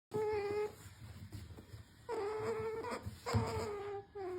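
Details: A pet otter makes cute noises while asking for treats: drawn-out whining squeals with stacked harmonics, in three bursts with short pauses between, over a steady background hum.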